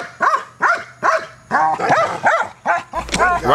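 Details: Neros the dog, trained in KNPV style to bark aggressively at a box: eight forceful, ringing barks in a steady rhythm, some doubled, with a handler's voice cutting in at the close.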